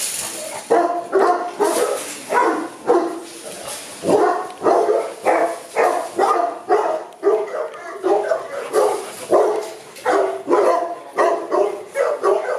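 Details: Boerboels kept at a kennel in Accra, barking steadily; loud, mid-pitched barks repeated roughly every half second to second throughout, with more than one dog overlapping at times.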